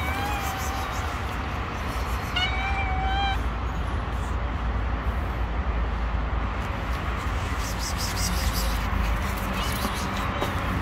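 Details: Stray kittens living on the street, wary of a person and refusing to come near because they do not trust them; two drawn-out, harmonic meows stand out over steady traffic rumble and faint voices.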